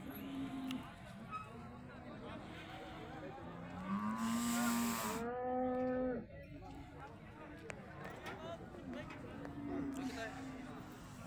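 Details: Holstein Friesian bull of about one ton on first display at a cattle market; low harmonic moos around four to six seconds amid crowd chatter and speech, with traffic noise behind.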